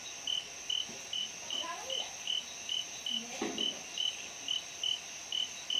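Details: Orange canthal shrub frog in lowland rainforest at Sinharaja National Park, Sri Lanka, recorded 16 February 2011 around 21:52; short, high clicking notes repeated steadily about two to three times a second, with a faint constant high insect hum behind.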